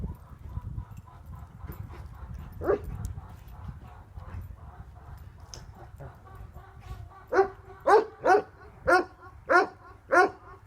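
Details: Tornjak livestock guardian dogs Hattori Hanzo and Leksi: faint distant barking at first, then a loud steady series of seven resonant barks spaced about half a second apart, with a soft low rumble beneath.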